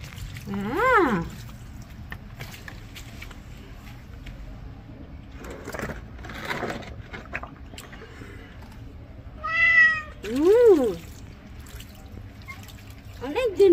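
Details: Pet cat waiting to be bathed indoors, giving several clear meows, each a harmonic-rich call that rises then falls, spaced a few seconds apart, with a person talking softly between them and low room hum beneath.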